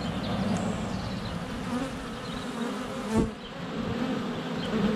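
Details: Honey bees in flight at a hive entrance on a sunny February day, recorded up close with a GoPro Hero 7 Black: a dense, steady low hum of many wings with a brief louder swell as a bee passes near.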